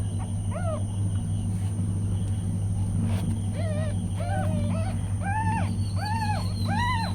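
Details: Newborn kittens with their mother cat: a run of thin, high, arched mews, rising then falling, coming in quick succession, the last three louder and fuller, over a steady low hum.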